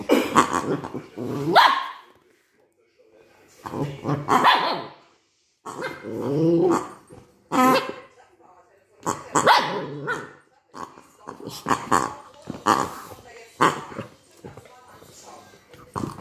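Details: Cookie, a Maltese dog, playing with a new toy for the first time and scared of it, gives bursts of sharp barks and growly yaps in uneven clusters separated by short silences, with a voice possibly mixed in.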